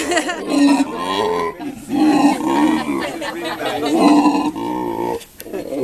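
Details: Howler monkeys held at a sanctuary in South Africa. A male converses in separate rough, roaring grunt phrases about a second long, with quieter gaps between them. A family group stays close by.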